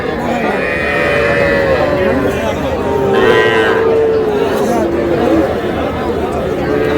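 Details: Heifer and bull calves for sale at a Noakhali cattle market, 21 July: a long, level moo, then a slightly falling one in the middle, over a steady wash of buyers' and sellers' voices.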